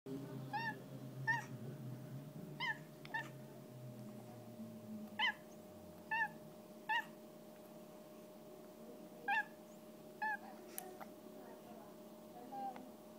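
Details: Cute cat that 'barks', giving about a dozen short, clipped, chirpy yaps at irregular intervals over thirteen seconds. The calls are fairly quiet, with a low, steady hum and indoor background noise underneath.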